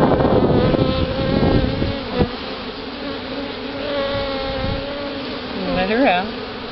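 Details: A newly hived colony in Houston, Texas, October 2011, during the release of a caged queen gives a loud, droning buzz with strong steady tones. It thins midway, and a short wavering whine near the end rises and falls.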